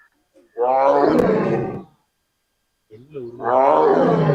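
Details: A Bengal tiger at Bannerghatta zoo gives two deep, drawn-out roars, each rough and moaning, separated by a short pause.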